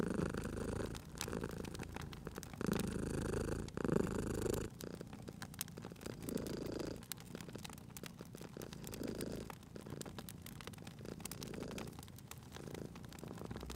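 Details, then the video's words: Sleeping cat purring beside a crackling fireplace in a cozy spring setting; a steady low rumbling purr swells with each breath, louder in the first few seconds and then softer, while sharp fire crackles pop throughout. "Cute Purring Cat at a Crackling Fireplace"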